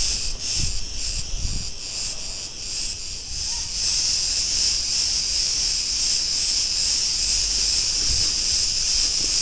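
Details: Cretan cicadas in an Ierapetra street, Greece, producing a loud unbroken buzz, clearly pulsed in the first seconds then smoothing into a steady hiss, with occasional low thuds.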